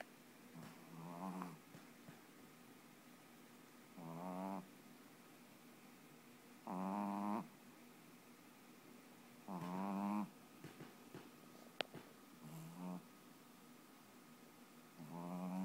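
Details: Snoring Boston Terrier puppy after falling asleep, sometimes very loud: a steady run of six rasping, gurgling snores spaced about three seconds apart, each lasting under a second, with one sharp click midway.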